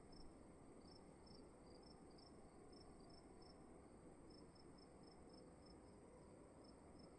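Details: A cricket calls in a dark room at night, giving bursts of high, short chirps, then falling silent for over a second before resuming steadily, with soft constant background hiss and rumble throughout.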